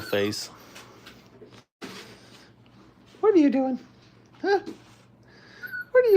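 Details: Five-week-old Brittany puppies learning crate training cry out in short, high, wavering whines that bend downward, bursting near three, four and a half and six seconds, with softer whimpers and a brief human voice between.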